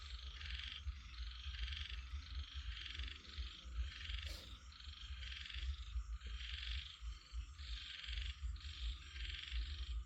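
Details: Chorus of frogs giving grating, pulsed croaks in short clustered runs separated by brief gaps, with a sharp click midway and a constant deep background rumble.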